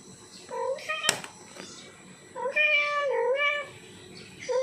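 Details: Male house cat in heat calling for a female: a short meow, a sharp click, then a long wavering wail that rises and falls over about a second, and another meow starting at the end.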